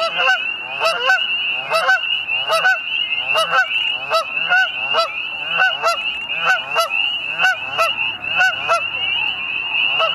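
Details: Spring peepers in early spring at Middle Creek Wildlife Management Area, Pennsylvania, give mating calls at sunset: a dense chorus of high, steady peeps beneath loud honking geese on a pond.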